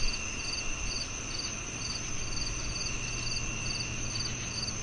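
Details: Crickets chirp in short, regularly spaced high bursts beside a constant shrill drone, while a noticeable low hum and rumble fills the bottom of the mix.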